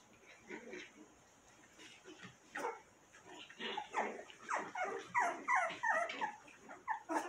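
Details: Cotonese mix puppies, five weeks old, giving high, harmonic yelps and whimpering barks, sparse at first, then a quick run of about three per second through the second half.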